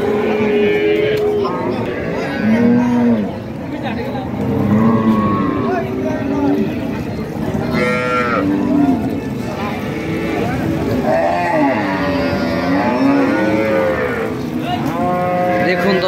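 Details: Cows and calves at a busy cattle market: repeated moos from several animals, each a swelling, arched low bellow, overlapping every few seconds, with faint human voices and market hubbub behind.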